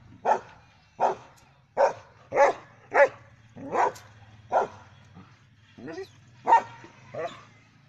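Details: A pet German Shepherd Dog barks steadily, about ten loud, sharp barks spaced under a second apart over eight seconds, with a low steady hum in the background.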